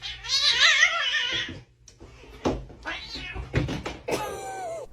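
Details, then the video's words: A domestic cat gives a wavering, drawn-out meow lasting over a second, followed by scattered knocks, bumps and brief voices in a room. "cats meowing"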